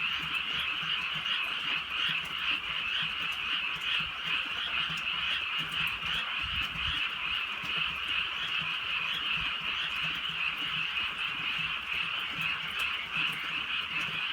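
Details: Countryside frogs croaking through a drizzly rural night. Many voices blend into a constant buzzing, pulsing chorus, with light rain drops and a brief low rumble partway through.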